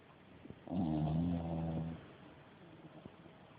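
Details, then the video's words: A single long, throaty snore from a dog napping, lasting over a second with a rough buzzing tone, then quiet breathing. "perro roncando fuerte"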